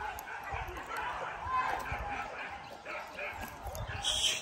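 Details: A dog named Max at its first hunting training session, Porbi Legaran, Sungai Pingai, gives short yipping barks repeated several times over a few seconds, mixed with human voices and background noise.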